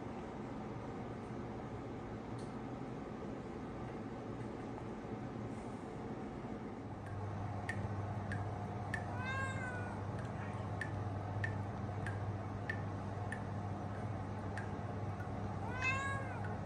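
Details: Newly arrived male kitten, half British Shorthair and half Ragdoll, indoors in Rotterdam, the Netherlands, on 20 September 2022; a few short high meows with rising harmonics near the ninth second and again at the end, over a steady low hum and faint clicks.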